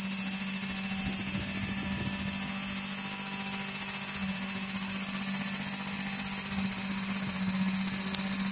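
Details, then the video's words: Large brown cicada calling from a tree branch in a park just after 6 pm in the evening: a loud, steady, unbroken sizzling drone, very high-pitched and without pauses, over a faint low hum. "アブラゼミの鳴き声２（夕方の鳴き声）Large Brown Cicada"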